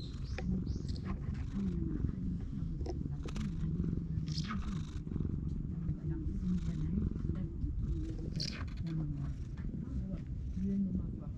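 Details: Stray cat sunbathing on a veranda while its face and head are tickled, filmed on a GoPro HERO8; steady low continuous purring throughout, with faint rustling and handling noises above.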